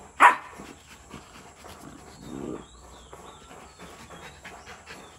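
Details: Rottweiler puppy aged 62 days in a play fight with its mother, a black-and-tan female named Brownie from Sri Lanka; a sudden shrill yelp opens, followed by a low rumbling growl, then soft shuffling and breathing.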